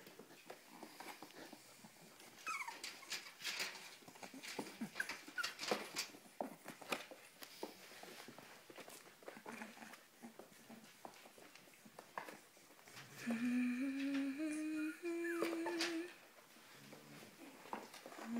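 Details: Cavalier King Charles Spaniel indoors, mostly soft clicking and shuffling, then a drawn-out rising whine with stepped pitch lasting about three seconds near the end, followed by a short whimper.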